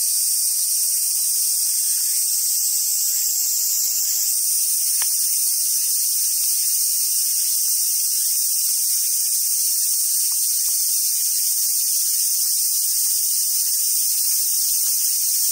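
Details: Summer cicadas sing at Awajishima Monkey Center in southern Sumoto, Hyogo, Japan; a continuous high droning hiss that shifts slightly in pitch partway through, with faint low rumbles and a single sharp tap early on.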